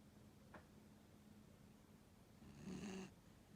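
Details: Snoring of a 15-year-old dog, very quiet: a short faint breath burst early, then a louder rasping snore near the end with a low steady hum beneath, in a still indoor space.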